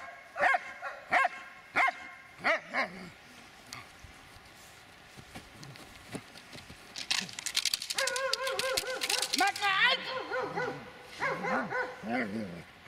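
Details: A Dobermann eight and a half years old in attack training barks loudly in spaced single bursts, then a confused stretch of scuffling noise, higher yelping and overlapping voices follows.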